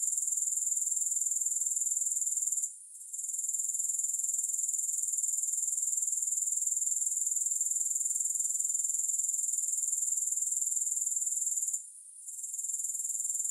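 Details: Continuous high, hissing insect trill from grasshoppers, evenly pulsed, with two short silent gaps, around three and twelve seconds. Nothing else is audible and there is no music.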